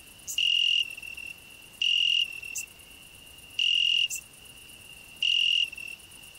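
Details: Cricket on a rose bush, a grasshopper singing nearby and a hedgehog resting under the bush: a steady high pure trill with four loud buzzy bursts roughly every one and a half seconds, and occasional sharp high clicks.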